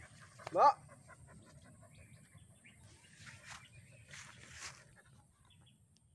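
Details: Dog hesitating during training gives one short, loud, rising whine-like yelp near the start, followed by a long quiet stretch with only faint low background rumble and a few soft, distant noises.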